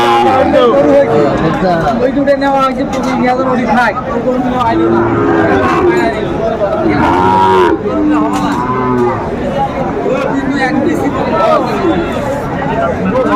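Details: Many Sahiwal bulls at a busy Bangladeshi cattle market in Comilla, January 2025. Repeated overlapping moos, some short and some long and wavering, blend with loud crowd chatter and nearby speech throughout.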